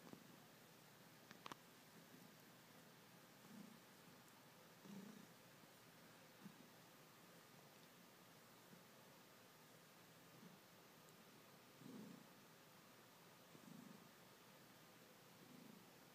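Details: A male Ragdoll cat, kneading, gives a quiet, steady purr, a deep rumbling drone that rises and falls in gentle pulses every second or two as he breathes in and out.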